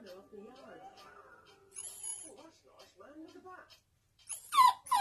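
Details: Apricot female toy poodle crying while watching her owner and her brother, another toy poodle, play in the back garden; soft speech-like murmuring, a brief high whine, then loud squealing cries at the end.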